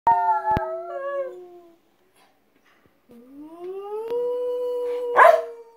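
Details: Shetland Sheepdogs howling together as pets: long, steady, tonal howls that slide between pitches and waver slightly, a first burst fading out, a pause of over a second of silence, then a rising howl held steady, ending with a brief scuffing noise.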